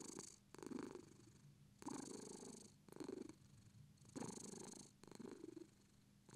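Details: British Shorthair cat purring, a steady rumbling purr rising and falling in breath-paced bursts, about five swells with short quiet gaps between, in a quiet indoor setting.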